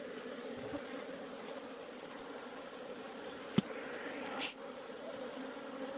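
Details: Wild Asian honey bee colony in a hole in rock, being taken in the afternoon: a continuous, steady swarm drone, broken by a sharp knock and a brief scraping noise near the end.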